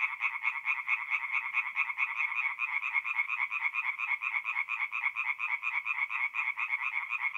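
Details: Singing tree frogs at a forest pond by night in north-east Italy during mid-April; quick rhythmic croaks pulse in clear beats, several per second, forming a continuous rattling chorus.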